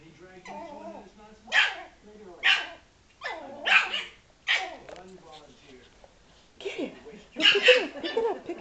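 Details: Frankie, a Yorkshire Terrier, barks at a ball that was rolled toward him and hit him. About six sharp, loud barks come roughly a second apart, with a person talking in the gaps.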